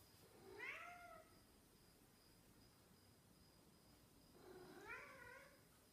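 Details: Snowshoe cat meowing as it misses its owner: two drawn-out harmonic meows, each rising then falling, about four seconds apart, with quiet background between.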